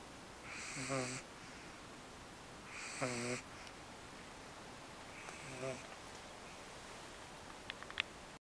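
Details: Eve, a dog dozing at home after her first outing to the park, gives three raspy snores about two seconds apart, then quiet breathing and a few faint clicks.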